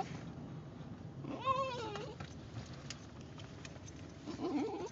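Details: A Basenji riding in a car gives a wavering, yodel-like howl, rising then falling, asking to be let out for a potty break.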